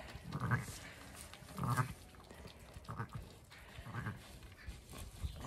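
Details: Zwartbles ewe on a regenerative farm in County Kilkenny, Ireland, just after her second lamb, a big ram lamb, was pulled out by hand; four or five soft, low, wavering bleats roughly every second, with quiet farm background.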